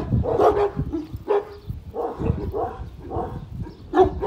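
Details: One-year-old Kangal at a kangal dog farm, standing up to a huge dog; deep, rough barks in uneven bursts roughly every half second to second, some overlapping, with a gruff undertone between them.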